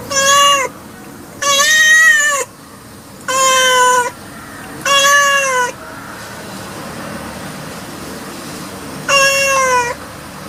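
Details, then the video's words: Domestic cat repeating loud, harmonic meows roughly every two seconds, five in all, the last after a longer silence; each call is level with a slight fall at the end. "Cat Voice Ringtone 2020 || Kitten Voice Ringtone 2021"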